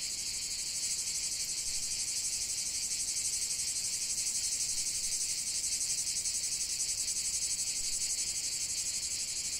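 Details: Chorus of cicadas in nature, a relentless high-pitched buzz throbbing in quick, even pulses throughout, unbroken and without other distinct sounds.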